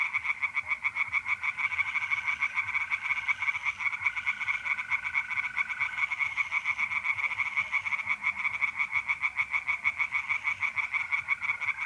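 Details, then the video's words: Tree frogs singing by night in a pond in North-East Italy in mid-April: dense rapid pulsed croaking in a continuous chorus, with a steady high trill of mole crickets running beneath. "relaxing singing tree frogs in pond and trilling mole crickets by night"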